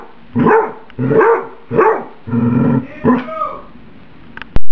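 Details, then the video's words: House dog barks when served spaghetti heated in a microwave for a minute and still too hot; five drawn-out, throaty barks roughly every 0.7 seconds, the last shorter and breaking upward, ending with a sharp click. "My Dog Emily Barking"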